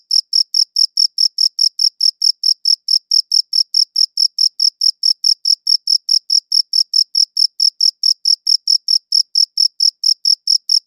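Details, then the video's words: Crickets chirping, captured on a good audio recorder: a steady train of short, bright, high chirps at about four per second, evenly spaced over a perfectly silent background. "Cricket Chirping Sounds"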